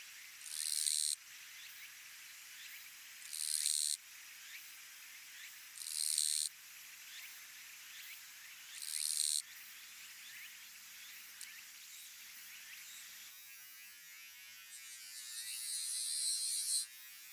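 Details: Japanese katydid (Gampsocleis buergeri), the western Japan form, singing its 'chon gīsu' song: loud, harsh high buzzes about one second long, repeated every two to three seconds, with faint ticks between and a longer two-second buzz at the end.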